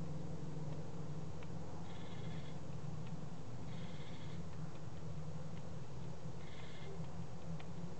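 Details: Adult male serotine bat, exhausted and dehydrated after hanging by its tail on a barbed wire fence, recovering in care, fed mealworms in the evening; three short harsh buzzy squeaks with stacked overtones, each about half a second, over a steady low hum.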